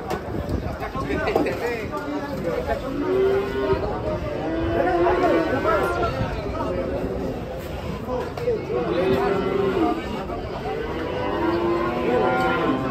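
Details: Cattle being unloaded from a tilting truck, giving drawn-out lowing moos that rise and fall and overlap repeatedly across the scene, mixed with steady chatter and shouts from a crowd of people outdoors.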